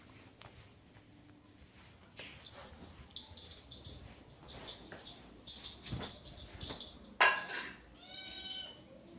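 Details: Domestic cat giving one short, tonal, harmonic meow near the end, after a stretch of soft rustling and knocks beneath a steady high-pitched whine.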